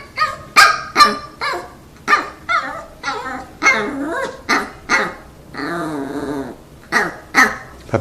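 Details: Pet dogs in front of treats, performing tricks for a snack indoors; sharp repeated barks with some whiny, wavering yelps, roughly two per second, irregular, with a longer whine near six seconds.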